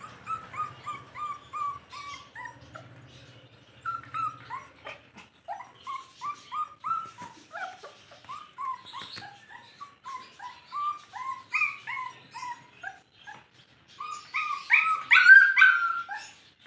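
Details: Rottweiler puppy in a Rampurhat pet shop, Birbhum district, West Bengal, whining over and over in short, high, falling squeals. There are about three cries a second, with a brief low rumble early on and sharper, louder yelps near the end.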